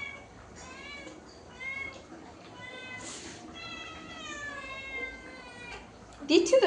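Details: Faint series of short, thin meows from a hungry house cat, said to have throat pain, repeating irregularly while food is being prepared, with a brief human voice at the close.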